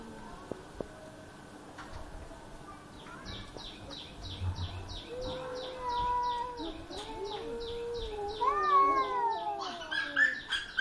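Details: Two cats crying outside a home: drawn-out, wavering wails rising and falling, overlapping in the second half, over a rapid regular pulsing chirp like an insect or bird and low background hum.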